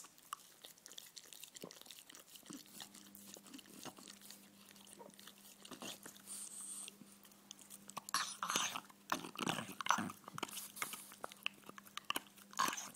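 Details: A French Bulldog enjoying his bone indoors, gnawing and crunching in irregular bursts that grow louder and denser after about eight seconds, with a steady low hum in the background.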